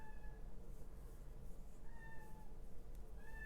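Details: Young male kitten left outside and wanting to come in, meowing in repeated, long, slightly descending cries, muffled through the wall, over a continuous low indoor hum.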